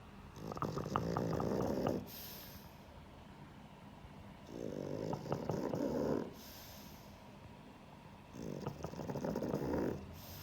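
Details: Sheldon the pug snoring while asleep: three rattling, throaty snore bouts about two seconds long, each built of fast fluttering pulses, separated by quiet gaps of roughly two seconds of soft breathing.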